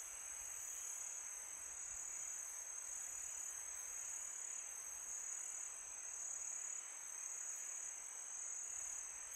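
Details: Night crickets on a calm summer night, a steady high-pitched ringing trill that never breaks, layered over gentle wind hiss with slight swells in loudness.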